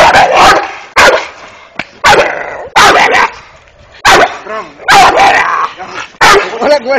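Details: Five-month-old Dogo Canario puppy barking: short, harsh broadband barks in an irregular series, about one every second or two, with some whining tones between them and a person speaking nearby.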